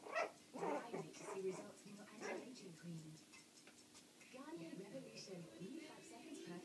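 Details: Puppies, four weeks and four days old, playing loose indoors: high, wavering yips and whimpering whines with bending pitch in two bursts, separated by a quieter stretch, while people talk throughout.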